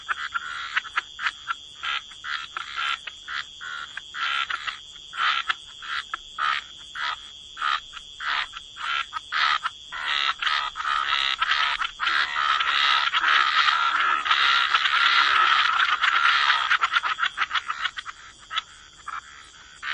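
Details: Chorus of croaking frogs at the waterside: rapid raspy croaks roughly twice a second, building midway into a dense, continuous overlapping din before thinning to separate croaks again, over a steady high background hum.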